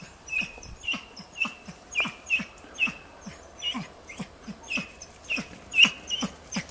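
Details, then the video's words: Tina, a hunting dog in training, holds young wild boar at bay on 6 March 2013, giving a steady run of high, sharp yelps a little under once per second over faint rustling. "TINA JANIORSKA odlicno goni i uporno oblajava d.nazimad"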